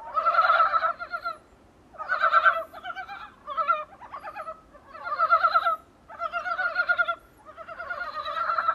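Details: Dybowski's brown frog, recorded from a small room's window, gives bursts of rapid, throaty clucking notes, repeated every second or two.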